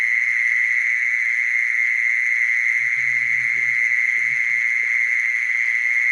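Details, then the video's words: Unbroken, even-pitched buzz from a mole cricket, steady throughout, while brief low grumbling sounds rise faintly in the background about halfway through. "Mole cricket sound, Original sound"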